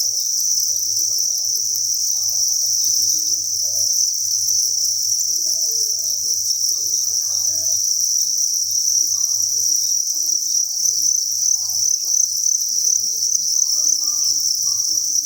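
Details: Dense chorus of farmed crickets in a breeding facility: an unbroken, high-pitched trill that never pauses, with scattered faint rustles and a soft low hum beneath.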